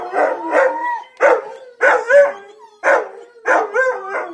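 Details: A Siberian husky, howling for the first time in about 11 months, joins in while hearing videos of other howling huskies and a malamute. The chorus has rough yelps sliding into wavering, yodel-like notes that rise and fall, the overlapping voices breaking every second or so.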